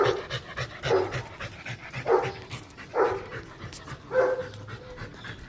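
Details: Labrador Retriever on a walk, panting in rhythmic breathy bursts about every second, with faint background noise.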